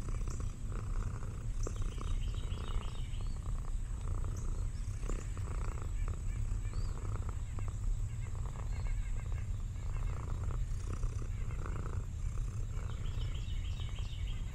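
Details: Lexi, an orange tabby cat, relaxing on a farm in the countryside alongside old dogs, purring in a steady, continuous low rumble throughout, with faint chirping birds higher up in the background.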